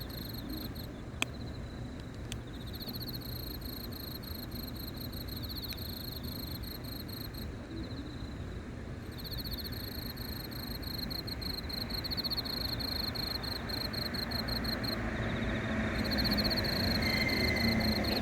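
A cricket chirps steadily at night, a high, ringing pulse repeated without pause.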